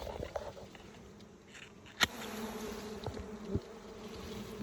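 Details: A bee described as very fierce gives a steady, low humming drone with even overtones throughout. Scattered clicks and taps break in now and then, with one sharp knock near the middle.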